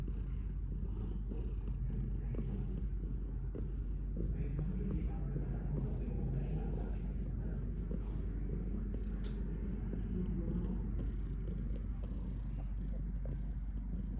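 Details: Cat purring in a long low rumble with rhythmic breath pulses, accompanied by intermittent soft rustling and faint background murmur.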